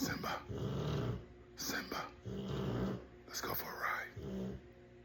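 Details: Sleeping pet Rottweiler snores in a steady rhythm. Rasping breaths come about every 1.6 seconds, with low buzzy rumbling tones between them.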